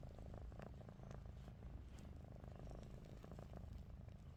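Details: Ruby the pet cat snoring with eyes open, a dense low rumbling hum without pause, a few faint ticks above it.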